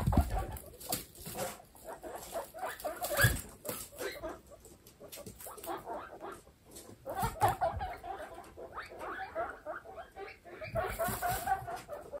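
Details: Baby guinea pigs in a kindergarten group from a household of 27 pets, giving short repeated squeaky chirps and chatter in bursts, with rustling and patter of small feet between calls.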